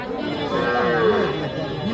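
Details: Calf at the Ambari cattle market in Bangladesh, 27 March 2025: a short tonal moo with a steady harmonic band and lower wavering tones. Faint background music and market noise.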